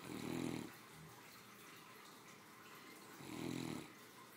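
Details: Three-year-old female Great Dane snoring comfortably indoors while asleep after her midday meal; two low rumbling snores about three seconds apart, each swelling and fading, with quiet room hiss between breaths.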